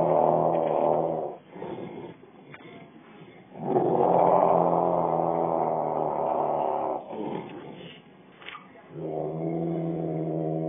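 A Rottweiler growls in long, rumbling bursts separated by brief pauses.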